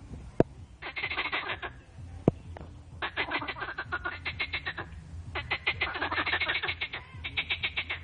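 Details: Noisy mating chorus of frogs, with dense trains of fast rattling croaks that come in long overlapping bouts separated by short pauses, and two sharp clicks near the start.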